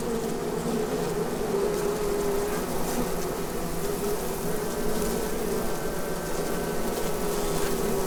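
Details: Asian hornets (Vespa velutina) at a nest in an oak beside a footpath at Abruñeiras, Noia, Galicia, Spain: continuous low droning buzz of many wings, steady throughout with faint higher whine.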